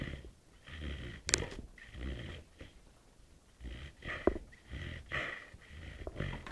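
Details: At night a sleeping puppy gives slower, wheezy snoring breaths spaced a few seconds apart, with two thin squeaky whistles cutting through between the rasping inhalations.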